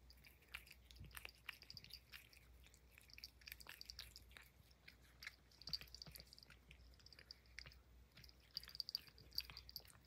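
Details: Puff, a pet Highland Lynx cat, eating banana peel indoors: irregular bursts of soft, crunchy chewing clicks and bites throughout, with a faint steady low hum underneath.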